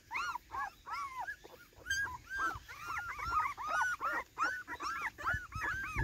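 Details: Excited Cardigan Welsh Corgi frolicking at its first time in the garden, 13 September 2024: a steady stream of whiny, up-and-down yelps and whimpers, roughly two to three per second, over a soft background rumble.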